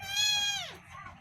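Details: Kitten, one of two, giving a single high, bright meow that holds steady, then slides downward and fades within about a second, with faint low background hum.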